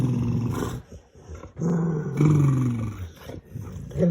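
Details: Male pet dog making funny noises while playing games with his owner: low, rumbling, roar-like drawn-out growls in several bursts, with a short pause near the middle and a brief rise at the end.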